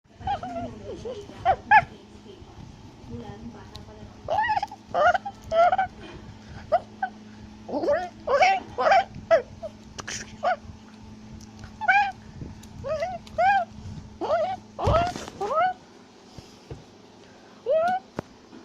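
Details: Tufted capuchin, also called black-capped capuchin, shouting and chattering while climbing a tree in South America; short, arched, harmonic yelps in irregular bursts across the whole stretch over a steady low hum, with one sharp knock near the end.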